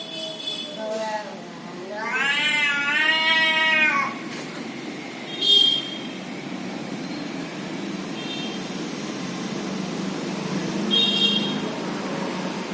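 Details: Domestic cat making weird noises: a short rising mew, then a long, wavering, drawn-out meow with a quivering pitch, followed by a few brief high squeaky calls over a steady background hiss.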